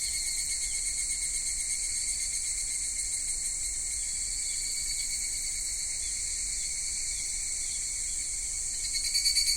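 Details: Cicadas singing in a Japanese summer at Michinoku Folk Village and Kitakami Tenshochi, Kitakami: a dense, shrill, continuous buzzing chorus with a fine rapid pulsing, and a louder throbbing surge in the last second.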